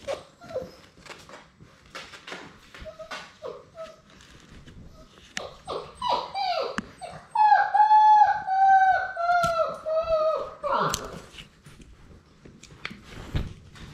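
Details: Six-week-old Labrador Retriever puppies playing together indoors in a romper room: a run of high, whiny whimpers, each sliding downward and repeated quickly, swells in the middle, with scuffling, chewing and a faint voice around them.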